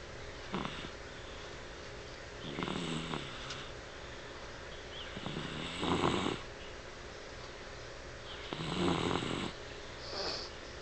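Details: Dixie, a pet dog, snoring while asleep indoors, eyes open with rapid eye movement as if dreaming; rough, breathy snores come in bursts about every three seconds, each a low rasping rattle.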